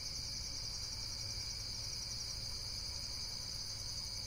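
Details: High, rapid insect trilling in a dense continuous chorus, evenly loud, with a low background drone.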